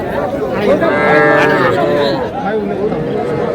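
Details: Calves at a cattle market in Madaripur, Bangladesh, with young bulls and heifer calves on sale on 17 February: a drawn-out harmonic moo in the middle, overlapping men's bargaining voices and market chatter.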